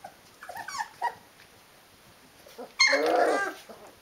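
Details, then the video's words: Nineteen-day-old Rhodesian Ridgeback puppies from the D-litter, indoors: a few faint whimpers early on, then a sudden loud, harsh squealing cry lasting under a second. "Rhodesian Ridgeback Puppies | D-Litter 19 Days Old"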